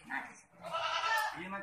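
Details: Boer goat at a farm in Budhitola, Kailali, Nepal, giving one strong, nasal, harmonic bleat of under a second, set between brief human voices.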